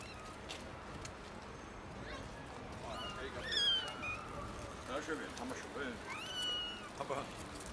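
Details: Three young kittens found in someone's garden meow loudly; a few clear, high, wavering meows with rising then falling pitch come around the middle and near the end, over steady outdoor background hiss.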